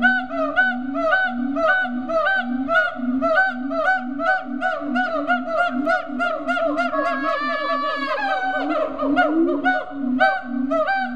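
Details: Captive siamangs at Riverbanks Zoo, Columbia, South Carolina, give a fast series of resonant booms and sharp bark-like whoops. Near the end the barks slide and blur into a longer wavering cry before the booming rhythm resumes.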